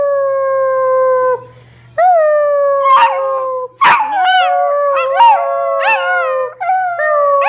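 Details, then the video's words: Basset hound pups howling with their owner; several sustained, gently falling howls overlap and wobble against each other, broken by quick yips and rising squeals, forming a chorus with almost no silence. "Basset hound pups howl with me"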